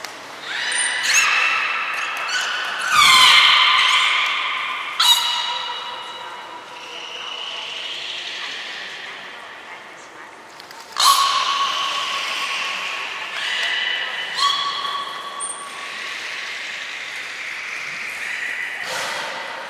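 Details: Captive belugas Mirai and Niko in a training session at Port of Nagoya Public Aquarium, 20 February 2021: harmonic squealing whistles in bursts, some steady, some bending, with a sharp onset near eleven seconds, echoing in a large indoor hall.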